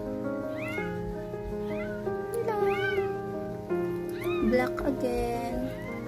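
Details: Siamese cat giving birth for the first time, to seven kittens, utters a series of drawn-out arched meows, some rising then falling, over steady background music and faint human voices.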